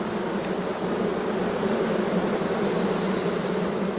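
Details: Dense, steady roar of many honey bees at a beekeeping apiary, an unbroken low droning buzz with no pauses, loud and even throughout.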